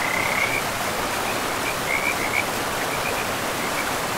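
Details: Frogs calling beside a river deep in a pristine forest: short, high, chirping notes repeated several times, faint against the steady broad hiss of rushing water.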